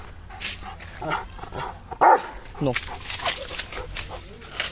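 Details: A Rottweiler, in a barking challenge against another Rottweiler, gives a loud, deep bark amid a run of rougher, shorter woofs, with people talking.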